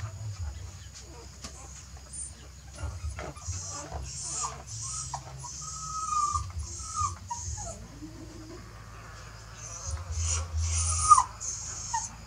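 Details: Mother dog moving her puppies to a new nest: thin, whining whimpers that slide up and fall away in short tonal strands, over a steady low rumble, rustling and bursts of high hiss.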